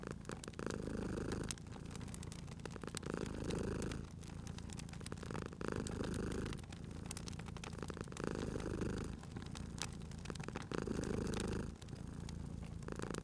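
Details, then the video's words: Purring cat resting at a crackling fireplace: a strong, low continuous rumble pulsing with each breath about every two and a half seconds, with scattered snaps and clicks from the fire throughout. "Cute Purring Cat at a Crackling Fireplace"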